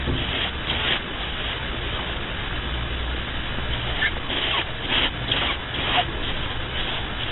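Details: Sleeping pet rabbit snoring: soft, breathy, broadband rasps repeating quickly and unevenly over a steady low hum, with no other clear sounds.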